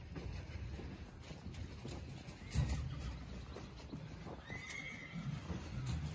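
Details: Quarter Horse and Appaloosa fillies and colts from 2018 and 2019 are called on a ranch to a creep feeder for supplementary feeding. A faint high whinny rises over clattering hooves and background noise, and a person says "whoa" at the end.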